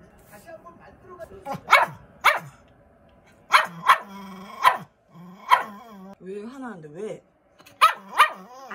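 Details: A male dog, presumed Pomeranian-Chihuahua mix born August 2020, fires off sharp, high yappy barks in angry bursts after being teased with a hair dryer, with a person's voice between them.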